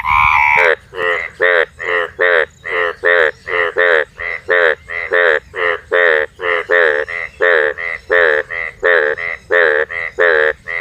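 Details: Four frogs calling together in a night chorus: a steady run of short, nasal, harmonic-rich croaks, about two per second, with loud and softer voices overlapping and answering each other, after a brief noisy start.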